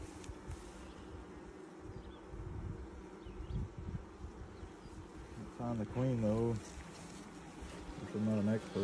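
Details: Honey bee hive being inspected in 2020, six days after nucs went in, while larvae are examined and the queen is sought; an even, low droning buzz fills the background, interrupted by short spoken phrases.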